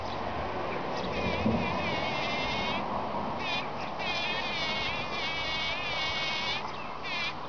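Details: Bees gathering and packing in pollen produce a dense, buzzy hum that swells and fades in irregular bursts of wavering pitch, over a steady low background rumble.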